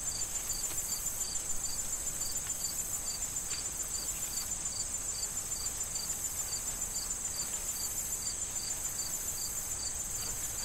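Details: Crickets in an autumn corn field before harvest, chirping steadily about three and a half times per second over a continuous high, shrill insect trill, with soft wind and rustling corn stalks underneath.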